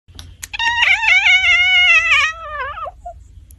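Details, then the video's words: Domestic cat making a weird noise: one long, drawn-out, harmonic meow of about two and a half seconds, held steady and then sliding downward with a wavering end, in a quiet indoor setting. "Cats making weird noises"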